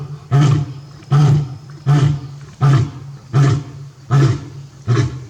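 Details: Zoo-kept male lion at Tobe Zoo, Japan, on 5 October 2021, calling repeatedly for his lost mate. Six powerful, low grunting roars follow one another, each about three quarters of a second apart.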